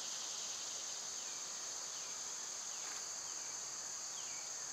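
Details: {'caption': 'Loud summer cicada chorus, a continuous piercing buzz that never pauses, overlaid by several soft descending bird notes spaced about a second apart.'}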